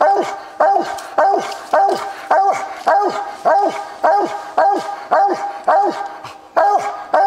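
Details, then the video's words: Walker coonhound Copper, an accurate tree dog, on a coon hunt, barking in a steady chop: about a dozen short, loud barks that fall in pitch, roughly two per second, with a brief pause near the end. "Coon Hunting with Copper"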